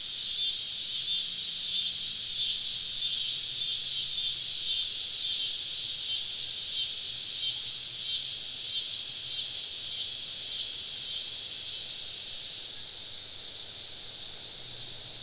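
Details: Many cicadas calling around a camp deep in the woods on a southern summer evening: steady high buzzing chorus with rapid rhythmic pulses, easing slightly near the end, and a faint low hum underneath.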